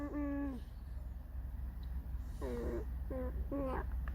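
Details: Pet red fox named Alice giving her mournful creaking song: one steady held whine, then after a pause three short whines that dip and rise, each with stacked bright overtones, over a low indoor hum.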